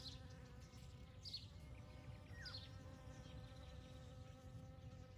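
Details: Low, steady humming buzz of honey bees working poppy blossoms in a field during morning hours, 29 May 2022, with a few faint bird notes and a short descending chirp in the background.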